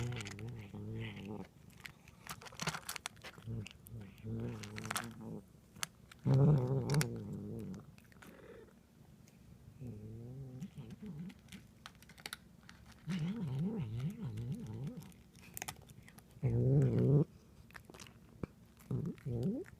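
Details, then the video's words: Domestic cat making noises while eating indoors: bursts of low, wavering, warbling growl-like murmurs lasting one to two seconds, separated by quieter pauses, with clicking chewing sounds between them. "Cat making noises while eating"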